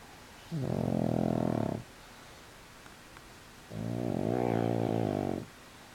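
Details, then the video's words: Pug asleep on his back with legs up, snoring: two long, droning, buzzy snores of over a second each, separated by about two seconds of quiet breathing. "The Snoring Pug"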